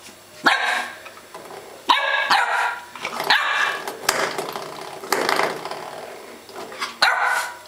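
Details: Holly, a young Welsh Springer Spaniel born in March 2012, barking indoors at a doorstop in June 2012; loud harmonic barks come roughly every one to two seconds, some sharp and others drawn out, against room noise.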